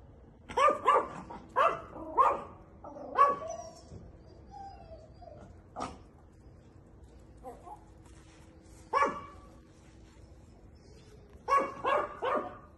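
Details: Female Chihuahua puppies, eight months old, for sale in Monza: a burst of sharp high yapping barks, several in quick succession, a pause with a few isolated yips, then another rapid cluster of barks at the end.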